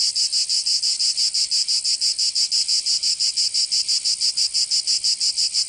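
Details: Several cicadas in Provence, southern France, on a summer day: a harsh, high rasping drone beating in even pulses, close to three each second, steady throughout with nothing else audible.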